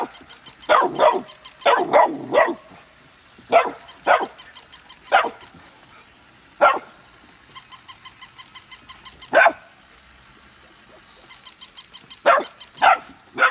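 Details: Golden retrievers Nala and Scout, siblings born August 2020, meeting a new puppy at play: sharp, loud barks singly and in quick pairs, with bursts of rapid, rattling clicks between them.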